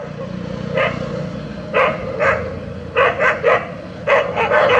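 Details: A brown Labrador Retriever and a German Shepherd fighting on a village street: sharp barks in uneven bursts, singles, then a rapid triple and another cluster near the end, over steady engine hum.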